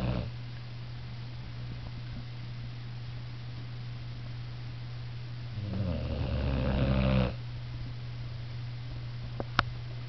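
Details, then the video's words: Young female boxer, newly adopted, asleep on a couch, snoring in a low steady drone with a louder, rougher breathy snore near the end; a steady low hum runs underneath throughout. "Kira Snoring"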